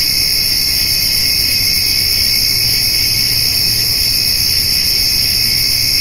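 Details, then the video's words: Evening summer insect chorus, crickets with grasshoppers, beside a white-tailed doe and fawn eating hay; high, shimmering and continuous, stacked ringing tones steady from start to end, light low hum below. "Cricket and Grasshopper Sounds"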